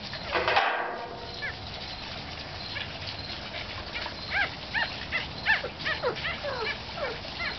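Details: One-week-old puppy with a cleft palate: thin, high, arching squeaks and whimpers come in irregular bursts, a few per second, after an opening noisy rustle.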